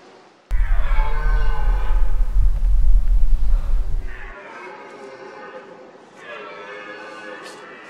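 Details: A red deer stag during the autumn rut gives deep, drawn-out rutting roars, rising and falling, over a low rumbling background.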